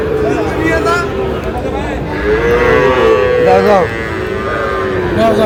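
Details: Sahiwal cattle at a busy cattle market on 11 August, where a Munshiganj farmer buys bull calves; a drawn-out, falling moo rises above steady crowd chatter and men's bargaining voices.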